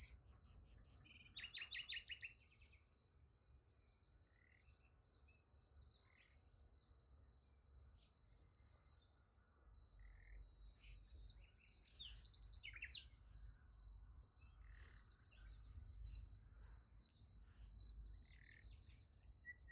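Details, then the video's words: Crickets calling at night next to a sunflower field: a sustained high, rapidly pulsing trill throughout, with a buzzy rattle near the start and sparse short chirps later. "Nice Sunflower Field with Crickets Sound Effect"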